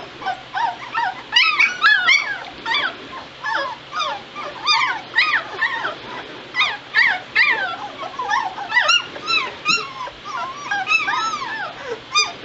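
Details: Continuous chorus of whimpering from two-week-old White Shepherd puppies in one litter, dated November 22, 2016: many high, bending squeals overlap in rapid, pulsing waves with almost no pause.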